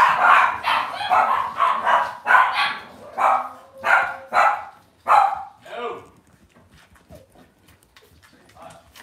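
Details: Cavalier King Charles Spaniel puppies in an indoor home puppy pen, yapping in a run of about eight high, short barks spaced roughly every half second, fading out into quiet background rustle.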